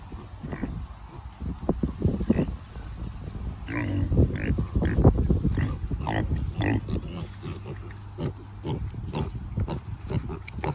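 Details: Kunekune pigs on a farm giving low, rapid, irregular grunts and oinks, busier and louder in the middle section, with rustling and scattered farmyard noise.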